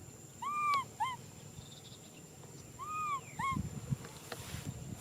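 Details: Young macaque Nui Simon cries for a hug, giving two pairs of tonal arched wails, each a long cry followed by a shorter one, with a quiet pause between the pairs and a steady faint hum behind.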